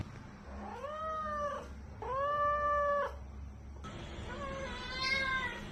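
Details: Pet cat, recorded as it grew from kitten to adult, meowing three times. The meows are drawn out, arched and harmonic, each lasting about a second. The third is fainter and thinner, over a quiet indoor hum.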